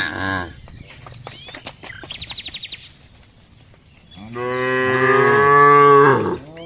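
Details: ['Herded village cows walking on their daily route. A short moo opens, then rapid twittering bird chirps follow, and the clip ends on a sustained, rich moo of about two seconds.']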